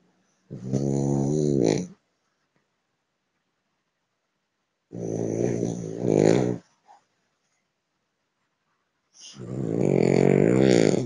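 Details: Theo, an 11-month-old male French Bulldog in São Paulo, Brazil, snores in his sleep in loud, rattling bursts, each lasting one to two seconds with pauses between.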